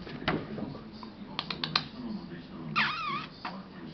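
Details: A 7-month-old female Maine Coon gives a brief wavering, chirpy call among soft speech and clicking sounds.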